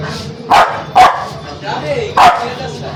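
A Spitz gives sharp, loud barks in quick bursts, two close together, then one more after a pause.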